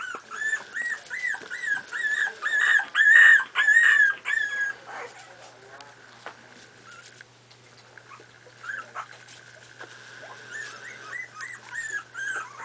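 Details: Playing Miniature Pinscher puppies, four and a half weeks old: loud, rhythmic, high-pitched yelping whines repeated nearly twice a second for five seconds, then quieter scattered squeaks and whimpers over a steady low hum.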